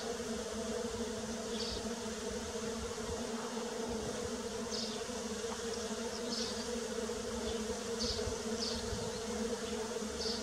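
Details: In early spring, bees drone in a steady, layered hum of many wings, with faint high chirps now and then.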